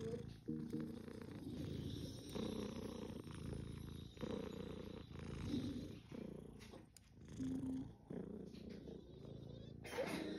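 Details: British Shorthair cat; purr; asking for affection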